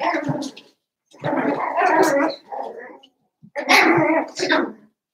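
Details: Cavalier King Charles Spaniel puppies, seven weeks old, in an indoor pen inside the home, make rough, gravelly yapping and grumbling cries in three loud bursts across about five seconds.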